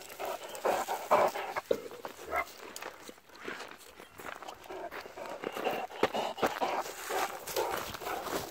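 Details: Rapid, uneven breathy panting from a struggling Great Dane, roughly two breaths a second, rising and falling in loudness with some background rustling.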